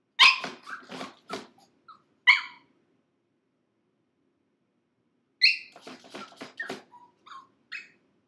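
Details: Six-month-old pug puppy named Gizmo, shut in a crate for five minutes, screaming: sharp high yelps and barks in two bursts separated by a pause of about three seconds, with thin whining notes between them.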